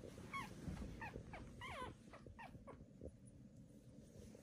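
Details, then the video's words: Newborn Pomeranian puppies at birth give a quick series of thin, high squeaks, each rising then falling, clustered in the first three seconds, over low rustling and handling noise. "Pomeranian puppies are born"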